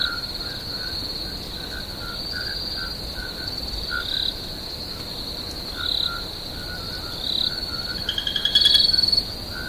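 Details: A steady, high cricket trill runs throughout a swamp at night, with lower frog-like chirps scattered beneath it.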